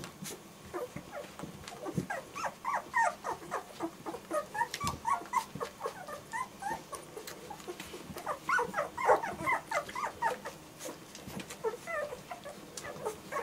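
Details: A litter of German Shorthaired Pointer puppies whimpering continuously, with short overlapping squeaks and yips coming several times a second in two busier bursts, plus occasional thumps and rustling.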